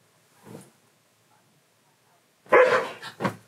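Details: Siberian Husky indoors, talking non-stop because he wants to play; a faint short sound, then a loud drawn-out woo-woo vocal burst with a second shorter yelp near the end, in a small room.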